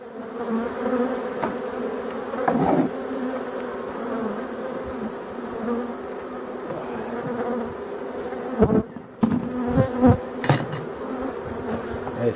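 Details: European dark bees at a Voirnot hive being prepared for winter, from abandoned hives in a forest, 30 October 2021; steady low droning hum of many bees, with a few knocks and handling sounds near the end.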